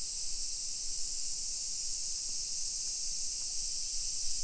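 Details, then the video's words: A hillside suburb of Nagoya, Japan, on a summer afternoon in late July 2021 rings with cicadas: one dense, high, hissing drone without pauses, the background otherwise quiet. "Summer Cicadas Sounds"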